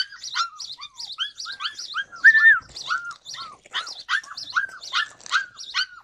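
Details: July 2020 recording of a Yakutian Laika: a busy series of short, high, downward-curving yips and squeaky whines, one louder drawn-out whine in the middle, the rest quick and uneven.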